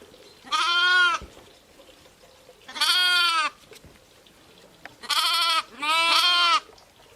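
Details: Four bleats from sheep, ewes and lambs, each about a second long and steady in pitch, spaced unevenly with a close pair at the end; faint background hiss.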